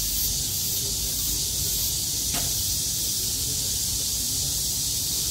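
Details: On 6 August 2020, as skies cleared after heavy rain, cicadas in chorus make a steady, high, hissing drone that holds without a break.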